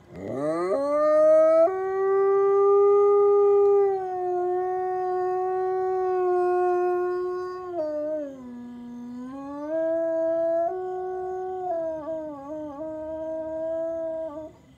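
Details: F-1 high-content wolfdog howling: one long, steady, tonal howl held for several seconds, dipping lower around the middle, then rising again and ending in a wavering, slightly broken tail.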